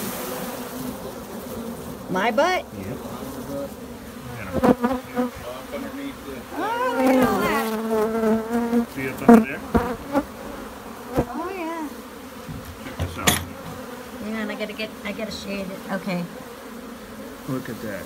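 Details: Thousands of Africanized honey bees in a hive hidden under a shed floor near a joist, exposed during removal: a steady low droning hum runs throughout, with bursts of nearby human talk and knocks on top.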